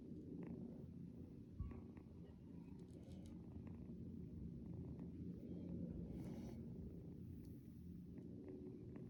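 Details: Young kitten purring early in the morning as it wakes its owner: a steady, low, rumbling purr with a few faint rustles and clicks above.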